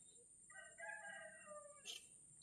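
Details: Cat sick with flu and a cough gives a drawn-out, slightly hoarse meow lasting about a second that slides gradually downward, over a steady high-pitched electronic whine.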